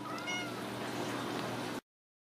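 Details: Ragdoll kittens raised at home without cages in a central Kansas cattery: one short, bright meow with a slightly falling tone early on, over a steady low hum, with a person speaking gently nearby.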